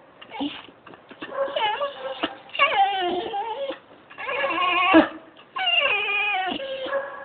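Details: Singing pet dog, phone recording: a run of loud, wavering, harmonic howls, each a second or two long with brief pauses between, pitch bending up and down in a sing-song way.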